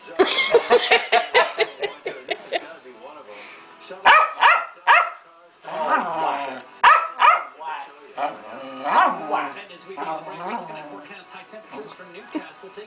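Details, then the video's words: Pancake, a female Keeshond kept as a pet, having a royal superfit: a rapid opening burst of repeated yaps, then scattered loud barks and rough, warbling growls. "My beloved Keeshond Pancake has a hissy fit"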